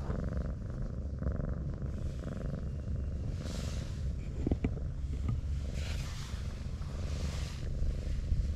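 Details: A brown tabby, stroked and curled up like an armadillo, gives a low rumbling purr pulsing at a regular rhythm, interrupted midway by clicks, rustling and handling noises.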